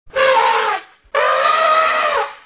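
An Indian elephant gives two loud, brassy trumpet blasts, the second longer and steadier than the first.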